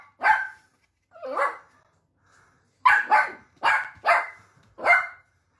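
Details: Dachshund sausage dog barking in single and doubled yaps, six or seven sharp bursts spread over a few seconds with short silent pauses, clear and close with no other sounds.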